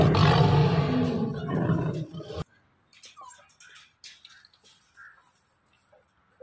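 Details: Captive Bengal tiger being fed meat: a loud, deep, rasping roar lasting about two seconds, then sudden quiet with scattered human calls and soft noises.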